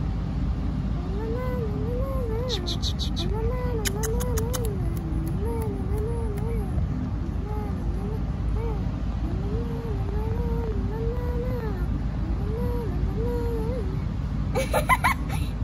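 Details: Tabby kittens among Istanbul's street cats, playing. Steady series of short, arching meows, each rising then falling, repeated roughly every second for about fourteen seconds over a low rumbling background. Sharp clicking bursts break in near the start and end.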